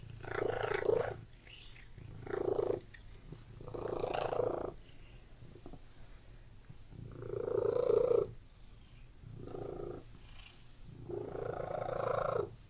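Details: House cat purring in a room, about seven rhythmic rumbling bouts of varying loudness, each roughly a second long, with soft breaths between.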